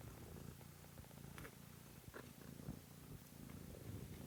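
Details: A kitten, Pom, purrs loudly and continuously in a low rough rumble, with light rustling from a home kitten stream.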